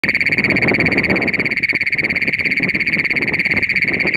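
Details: A Great Plains toad in Nazareth, Texas, gives a loud, unbroken metallic trill, a piercing buzz that holds steady throughout.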